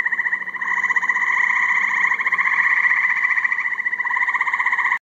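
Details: A dense chorus of huge numbers of little tree frogs, described as a plague of them, makes a continuous pulsing trill with rapid, overlapping notes.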